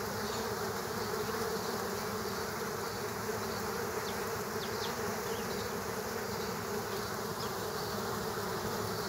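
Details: Killer hornets in a fight with bees at a ground nest, many insects together. The buzzing hum holds level throughout, with faint high flicks scattered over the steady swarm noise.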